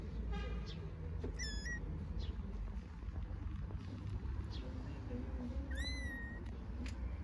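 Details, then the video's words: Stuck on a stone and unsure how to climb down, a kitten gives two loud, high, harmonic-rich meows several seconds apart, each sliding up then levelling off, against steady low background rumble and faint voices. "Kitten meowing loudly, not knowing how to get off the stone"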